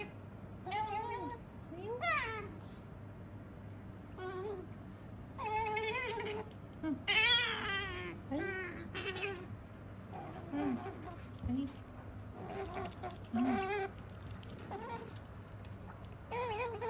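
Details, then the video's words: Female pet otter Sakura eating indoors while "talking" nonstop in her "nyamu-nyamu" chatter: a run of short, high, wavering squeaks and whines, some rising and falling, tumbling out in quick irregular bursts between chewing pauses. "食事をする３分間「にゃむにゃむ語」で喋り続けながら食べるカワウソ Otter eating while talking continuously"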